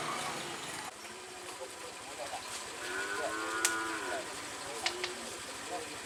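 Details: Madura cattle at a karapan sapi bull race training session on the Asemanis field in Pamekasan, Madura, East Java, Indonesia; one drawn-out, harmonic moo near the middle, with crowd chatter, shouts and steady outdoor noise around it.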